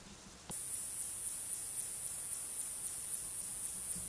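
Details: A male fat-bellied saddle bush-cricket (Pycnogaster jugicola) gives its calling song, a very high, continuous, hissing buzz after a brief quiet start, in the Sierra de Guadarrama on 12 July 2019.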